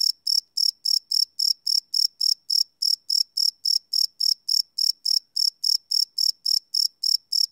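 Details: Crickets at night, recorded without loops on a Sony PCM D100: an unbroken, metronome-like train of bright, high-pitched chirps, about three and a half per second, over complete quiet.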